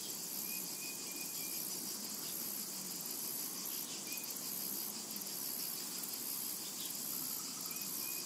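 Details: In a summer meadow a steady wall of high, fizzing cicada sound runs throughout, broken only by a few quick, faint bird chirps.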